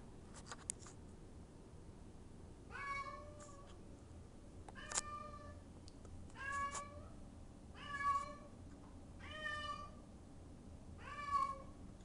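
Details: A house cat crying for someone to open the door, meowing repeatedly: six similar plaintive meows, each slightly falling, roughly every one and a half seconds, with a few soft clicks and taps in a quiet room.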